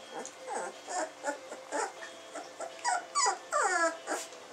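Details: Samoyed puppies born 20 June 2009 making soft repeated whimpers about three per second, growing into brighter squeaky whines near the end over a hissy background.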